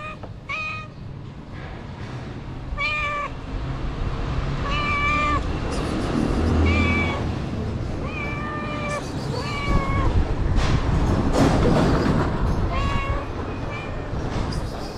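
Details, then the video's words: Feral street cats begging for food, several stacked harmonic meows, each about half a second, coming in a loose series every one to two seconds over steady outdoor rumble and background noise. "The Three Cats Who Came To Me Want Food, Not Love."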